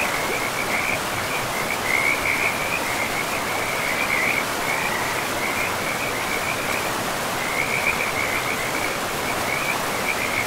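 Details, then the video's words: Rapid trilled frog calls in a forest beside a river, pulsing in bursts with short gaps, set against constant loud rushing river water. "River and Frogs sleep sounds"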